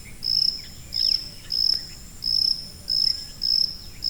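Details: High-frequency cricket used as a masking sound for tinnitus: seven sharp, tonal pulses in about four seconds, slightly uneven in spacing, over a faint hiss and a few soft chirps.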